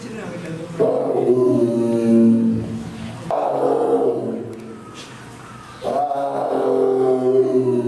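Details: Amur tiger, also called Siberian tiger, roaring: three long, deep, harmonic-rich calls of two to three seconds each, separated by short pauses, strong and sustained with a slight fall at the end of each.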